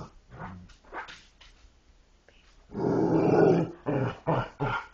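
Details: Dogs making talking-like vocal sounds: short low growly grumbles in the first seconds, then a louder sustained rough growl-moan with rising and falling pitch, followed by two or three shorter grumbling bursts.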